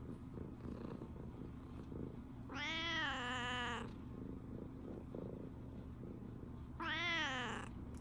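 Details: Tabby cat's morning greeting indoors, seemingly complaining to its owner that the Shiba dog has gone out on a walk: two drawn-out harmonic meows about four seconds apart, over low room hum; a man says good morning.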